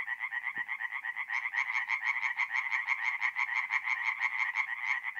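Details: Tree frogs in full song at night beside a forest pond in north-east Italy during mid-April: rapid, sharply pulsed croaks repeated about twice per second, a loud rhythmic chorus, one faint low knock early on.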